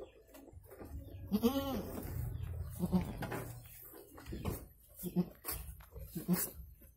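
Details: One brief, quavering goat bleat rises and falls early on, followed by low grunting sounds and rustling, while a goat gives birth to two kids.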